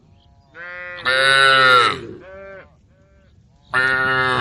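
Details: A group of female cows in a barn give loud, bright, harmonically rich moos in short bursts, one call fading into another.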